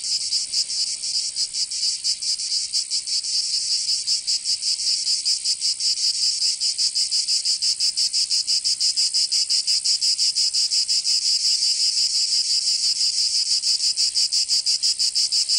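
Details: Summer cicada chorus in Provence, southern France: an unbroken, high-pitched rasping drone made of rapid, tightly packed pulses that stays loud and even throughout, with nothing else audible.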